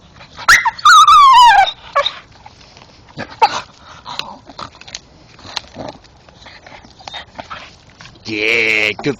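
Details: In the dark, a male Staffordshire Bull Terrier chewing a tree stump and stick gives high, falling whines and squeaky yelps while a man praises him; the owner has no idea why he makes the noise.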